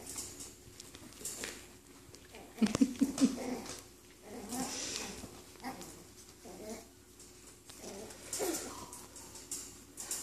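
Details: Five-week-old Cairn Terrier puppies, just getting their teeth in, give a quick run of three short, high yips near the middle, then one more faint squeak later, among speech and rustling handling noise.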